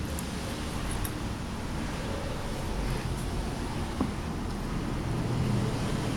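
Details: Continuous rumbling traffic noise with some wind fills the recording, and no animal voice is heard.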